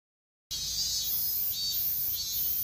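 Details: Continuous chorus of cicadas in Japan, known there as semi-shigure, likened to steady shower rain: a dense, hissing, high-pitched buzz that starts abruptly after a brief silence and holds steady with slight pulsing swells.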